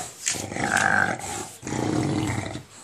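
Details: English bulldog playing with a ball indoors, giving rough, rasping growls in two long bursts separated by a short pause, with a higher whine riding over the first burst.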